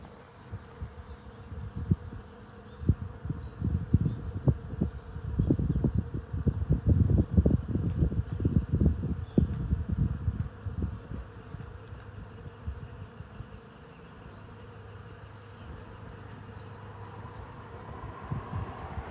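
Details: Bees buzzing around a fragrant tree on a homestead: a low, droning hum with dense bursts that swell through the middle, then fade to a quieter steady drone after about eleven seconds.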